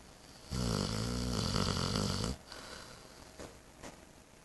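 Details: Eight-month-old Saint Bernard sleeping soundly at home after spay surgery, snoring: one long, loud, harmonic rasping breath of about two seconds, followed by quiet breathing in a small room.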